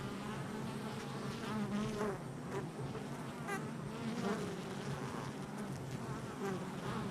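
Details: Many honey bees active at the hive entrance, July 22nd, 2024; a continuous low buzzing swarm-hum with wavering pitch as individual bees fly close past, level and unbroken for the whole stretch.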